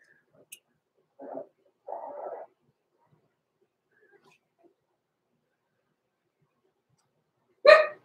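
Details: Overnight in their pen, two six-week-old blenheim Cavalier King Charles Spaniel puppies give a pair of brief, tonal whimpers close together, then near silence before one sharp, bright bark-like yelp at the end.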